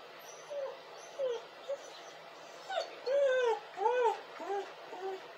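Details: Whimpering dog producing a series of drawn-out, arching moans that rise and fall in pitch, growing longer and louder midway, with soft low hiss underneath.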